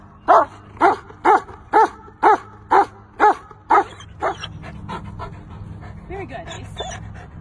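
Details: German Shepherd barking in a steady series of about nine sharp, evenly spaced barks roughly every half second, then quieter scattered yelps and noise.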